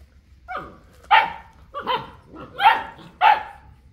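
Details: Boerboel (South African Mastiff) from a pair kept in Egypt, giving deep, forceful barks at intervals of roughly half a second to a second, each bark abrupt and harsh with a falling tail.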